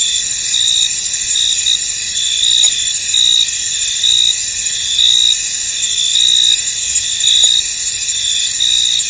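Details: In a foggy field, crickets keep up a steady high trilling chorus, pulsed chirps rising and falling about once a second, with a couple of soft clicks.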